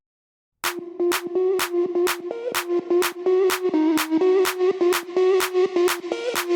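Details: Electronic dance music with a steady drum beat and a sustained synth tone; no animal voice is heard. Regular percussive hits run over a droning synthesizer line throughout.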